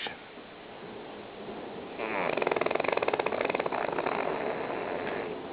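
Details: Lily, a female pug, asleep and snoring loudly after a hard day; after two quiet seconds a rough, rattling snore sets in, a rapid fluttering vibration that swells, then eases into a steadier breathy rasp toward the end.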